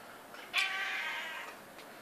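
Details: Domestic medium hair cat, a seven-year-old female house cat, meowing at 3:30 am to demand a pat: one long, drawn-out nasal meow lasting about a second, steady then fading, in a quiet indoor room.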